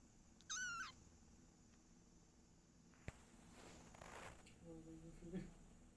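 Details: Cat family, mother Silky with kittens and father cat, at home: a single bright, slightly wavering meow opens, followed by a thump, rustling and handling noises with faint murmuring.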